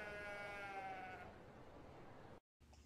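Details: Sheep bleating: one drawn-out wavering bleat with a slightly falling tone lasting over a second, fading into a steady noisy background, then a brief silence.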